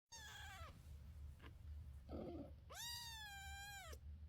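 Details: Domestic mother cat with her kittens, meowing: two drawn-out harmonic meows, a short one falling away at the end, then a longer one rising, holding level and dropping off, over a steady low hum.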